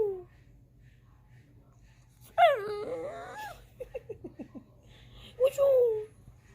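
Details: Pet dog crying indoors because it wants to be up on the couch: a loud wavering whine that rises then falls, a quick run of short soft yelps, then a final drawn-out descending whine, with a person talking to it nearby.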